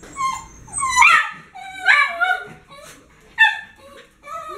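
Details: Excited whining from pet dogs Whisky, Shadow and Homer awaiting their daily kibble at mealtime: high, bending whimpers and yelps come in about four loud bursts roughly a second apart, with softer whines between.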